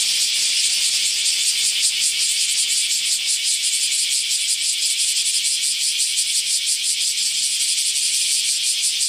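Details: Cicada singing a loud, harsh, high-pitched buzz that throbs in steady pulses, about three per second, with no other clear sounds.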